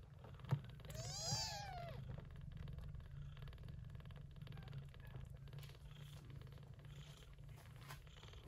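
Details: Yupi, a short-haired Persian Chinchilla mother, looks after kittens born in an early-September typhoon; one rising-falling meow early on, then an unbroken low purr for the remaining seconds.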